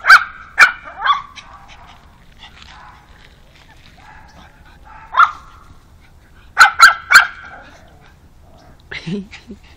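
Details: Pug barking on meeting a new dog friend: sharp yelping barks, three early, one near five seconds, then a quick burst of three, ending with a lower whine-like sound.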